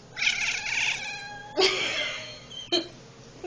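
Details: Domestic cat making funny noises while watching bugs indoors: harmonic, whiny chattering calls, a long wavering cry followed by two shorter abrupt chirps, with faint background hum.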